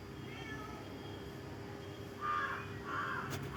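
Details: A cat crying at the sight of another cat: two short, tonal, wailing cries close together near the end, the second slightly longer, over a steady low background hum.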